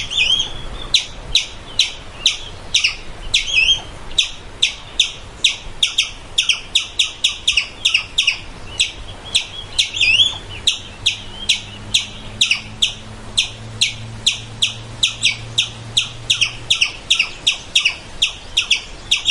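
A squirrel gives sharp, high chirps in a quick, steady series, about three each second.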